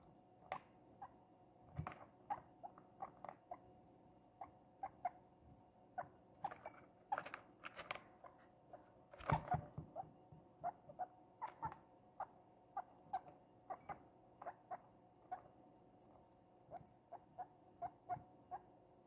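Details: Princess, a young pet guinea pig bought two days earlier, eating cucumber with pleasure after two days of refusing food: crisp, rapid crunching clicks in steady runs, with a faint continuous hum behind.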